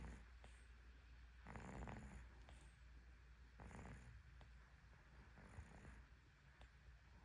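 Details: Cat in deep sleep, snoring softly: two raspy snores, the first longer and stronger, separated by quiet breathing, with a thin high whistle riding on each breath and small clicks between.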